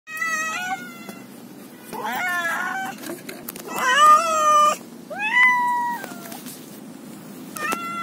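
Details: Domestic cat, one of several different cats meowing in a compilation of angry, happy and hungry meows: about five separate meows with gaps, some short and others longer with a clear bending pitch, over a low steady background hum.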